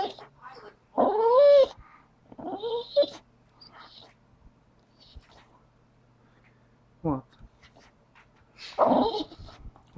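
A Staffordshire Bull Terrier cross whines in high, wavering bursts, wanting a ball out of reach.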